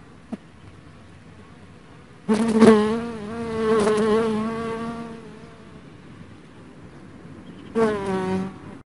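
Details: After a quiet start, a dark honey bee buzzes past in a loud, harmonic drone lasting about three seconds, fades, and returns briefly as a second short pass near the end.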